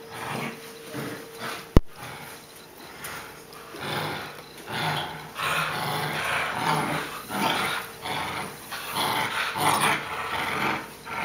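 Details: Boerboel puppies at play indoors, giving rough, broadband growls in uneven bursts that swell and fade over several seconds, with a sharp knock near the start.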